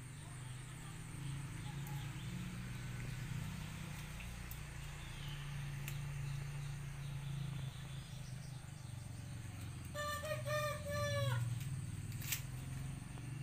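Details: Goat kids on a village farm in Pacitan Regency, where four does gave birth to nine kids within one week; a single short, quavering, harmonic-rich bleat sounds near the end over a steady low rumble and faint outdoor background.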